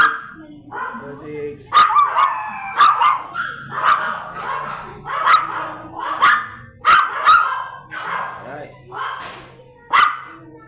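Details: A blue Miniature Pinscher stud dog at Manaoag, Pangasinan barks in short, repeated yaps about once a second, mixed with human speech and faint music.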